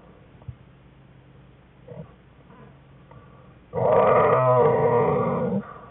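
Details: Whining American black bear cub in a den with its mother and sibling, recorded January 5, 2013; near-silence with faint soft grunts, then one loud, wavering, harmonic whine lasting about two seconds.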